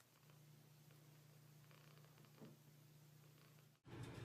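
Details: A domestic cat purring, a steady low continuous rumble held for nearly four seconds, with faint rustling, then cut off by a brief louder burst of handling noise at the end.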